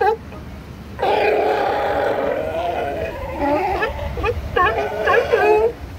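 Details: Sea lions at La Jolla Cove call one after another in a chain reaction of loud, wavering, bleating barks that overlap and set each other off.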